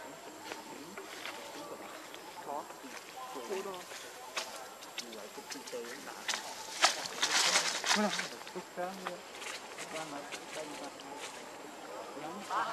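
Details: Baby macaque Leo crying and begging its mother for milk, hungry: a run of short, tonal, wavering whimpers with rising and falling harmonics, repeated almost twice a second, with scattered clicks and rustling throughout.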